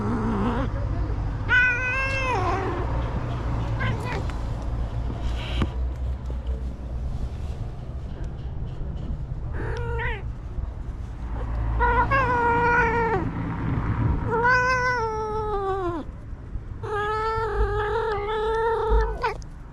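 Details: Stray cat making sounds as it is touched: about seven clear, tonal meows, some short and bent, others long and wavering, spaced unevenly, over a steady low rumble with faint human voices.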